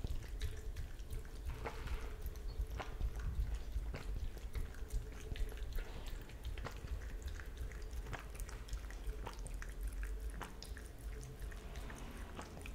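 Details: An Italian Greyhound laps milk, making a quick run of wet, irregular clicks and splashes.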